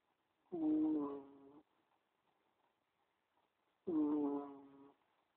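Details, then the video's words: Two nasal, squeaky snores from a cat asleep, each lasting about a second, separated by a three-second silent pause. "Cheeky cat snoring"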